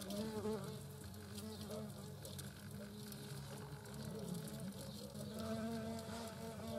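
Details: European hornets, a queen and workers at their nest, likely in the Eifel in 2022, give a low, continuous wing buzz rich in deep tones that swells and fades as insects come and go.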